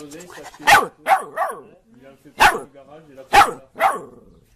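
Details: Dog barking in pairs and triplets of sharp, loud barks, with a person talking softly in the pauses between bursts.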